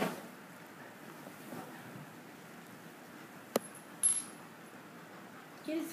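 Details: Quiet indoor room with a steady low hiss, one sharp click near the middle, a brief metallic clink a moment later and a soft rustle at the end; no animal voice.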